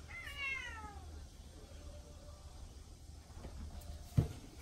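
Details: Indoor pet cat utters a short descending meow right at the start, then quiet room hum with one sharp knock near the end.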